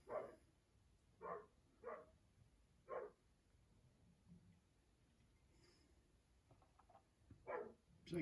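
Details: Two intact male Hungarian Vizslas playing indoors, one about 10 months old, giving high-pitched vocalisations as a sign of play; five short yelping bursts spaced irregularly across eight seconds, with a quiet room background and a brief human murmur.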